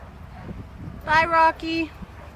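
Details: Male English Bulldog crying because he wants to get past a fence to play with greyhounds on the other side; two loud, steady, nasal whining cries, the first about half a second long, the second shorter and slightly lower.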